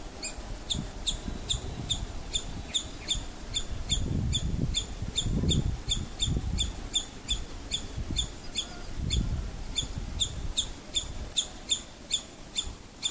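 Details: Alarmed female squirrel, frightened by something, giving sharp high chips in a steady series of about two to three per second throughout, each chip bright and clicky, over a low rumbling background.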